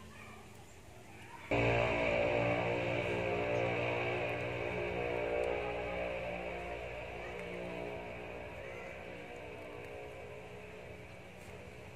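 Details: Quiet room noise, then steady strummed guitar music fills the rest of the recording, with no animal calls heard.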